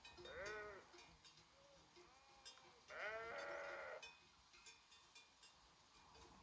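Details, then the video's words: Sheep grazing as a herd in the Făgăraș Mountains of Romania give two strong trembling bleats, a short one near the start and a longer one at three seconds, with softer bleats and bell clinks between. "the sound of sheep herding in Făgăraș Mountains"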